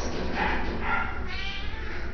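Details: Cat at an animal shelter in Idaho Falls, giving a few short mid-pitched meows in quick succession, each a brief rising-and-falling tone, with room noise and a low hum beneath.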